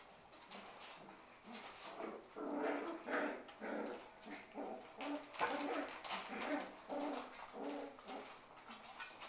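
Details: Shetland Sheepdog puppies, six weeks old, from one litter, playing together in an indoor play room; bursts of short, high yips and whimpering barks come in quick, uneven runs, swelling and fading over several seconds.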